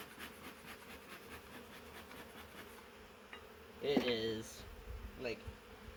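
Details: Massive honey bee swarm caught in a swarm trap, from a wild hive living in the woods for three years: a steady, low droning hum runs throughout, with a brief burst of human speech near the end.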